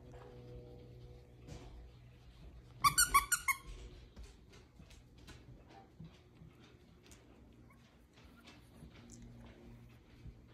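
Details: Five-week-old bottle-fed rescue puppies indoors; a sudden burst of four or five rapid, high, squealing yelps near the third second, then soft shuffling, faint squeaks and small clicks over a steady low hum.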